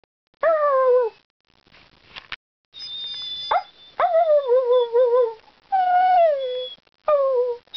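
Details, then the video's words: Dog called Ireland, known for singing and talking, makes a series of falling, harmonic howl-whines in bursts of about one second, with a faint high tone between them. "Ireland the Singing/Talking DOG"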